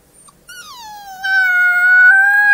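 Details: One gray wolf pup's howl: a clear, rich-toned wail that dips from a higher start, then holds steady and grows louder, smooth and sustained.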